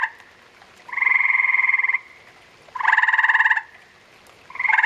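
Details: A spawning pair of gray tree frogs. A steady run of buzzy pulsed trills, each around a second long, repeats at roughly two-second intervals. Between them there are quiet gaps with no other sounds.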